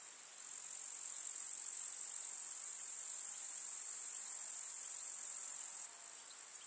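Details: Grasshoppers in a summer meadow, an unbroken high shimmering chorus of stridulation swelling in after the first second and easing near the end.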